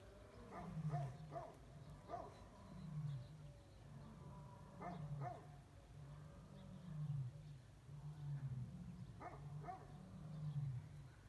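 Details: Male lion giving a threatening warning as he drives other lions away from his mate in spring, the pride held awaiting release onto savanna grounds; deep rumbling growls in repeated bursts about every two seconds, with faint clicks and background noise.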